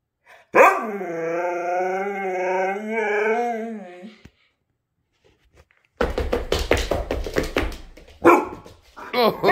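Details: Siberian husky at home answering its owner in a mock 'conversation'; a long wavering, yodelling howl lasting about four seconds with rising and falling pitch, then silence, followed by clattering thumps and a woman's voice.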